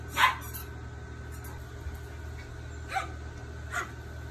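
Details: Papillon and Pomeranian dogs playing: one sharp yip at the start, then two brief, softer barks near the end, with a constant low background hum.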